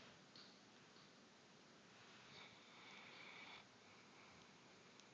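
A Bloodhound snores softly, a breathy, hissing rasp that swells and fades.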